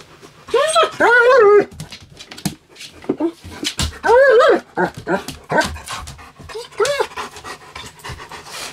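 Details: A pet German Shepherd summons its owner, whining because something has fallen under the bed. Three drawn-out, wavering whines come about every three seconds, with a person speaking Cantonese between them.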